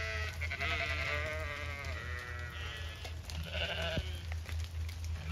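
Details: Zwartbles sheep bleating at feeding time in wet pasture on a County Kilkenny farm, Ireland, after torrential rain; long tremulous bleats from more than one animal overlap, with a continuous low hum beneath.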